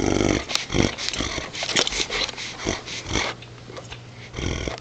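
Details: Playful Great Dane tugging a towel indoors, recorded close up. A string of short, raspy growl bursts, strongest at the start and tapering off, then a final rough growl near the end.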